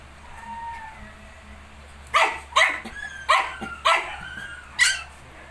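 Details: Shih Tzu and 19-day-old puppies: soft thin whining at first, then five sharp, bright yelps spaced roughly half a second to a second apart, each rising then falling, over a low background hum.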